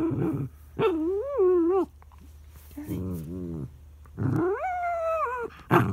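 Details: Charlie, a dog whose son is lying on top of the treat, whines in protest. Long, quavering, high-pitched cries swoop up and down, with a lower grumbling moan between them and a faint hum behind.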